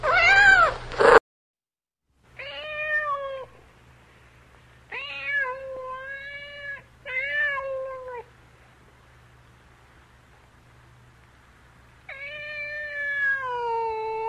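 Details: A cat meows repeatedly: a harsh opening cry, then clear tonal meows in quick pairs, a long quiet gap, and a final drawn-out meow that slides downward, with a soft hum beneath.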